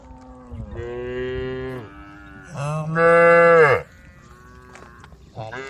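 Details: Cows in a group roaming a road at the forest edge, calling the herd: two long, drawn-out harmonic moos, the second louder and rising slightly before breaking off, then the start of a third moo at the end.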